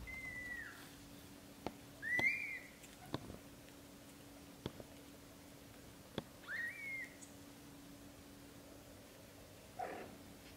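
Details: A British Shorthair kitten in its first month gives three separate short arched mews, spaced a few seconds apart, with faint clicks and a low steady hum in the background.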